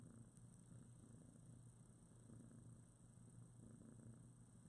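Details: Mother cat with her litter of about two-week-old newborn kittens cuddling together, eyes only recently opened; a continuous low rumbling purr runs through the whole stretch, steady and unbroken, with a faint constant high hiss behind it.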